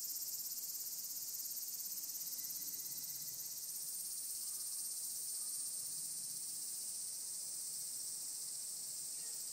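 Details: Various cicadas, including higurashi, calling in the mountains: a dense, continuous high-pitched buzzing chorus that holds steady without pause, with no other clear sounds.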